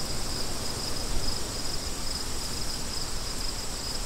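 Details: A chorus of crickets gives quick, regular high chirps through a rushing wind that fills the lower range.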